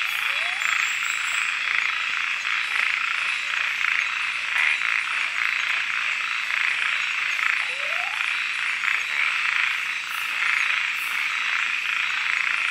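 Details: Kubah National Park frogs at night keep up an unbroken, shimmering high-pitched chorus of rapid pulses, with two short upward-sliding chirps standing out.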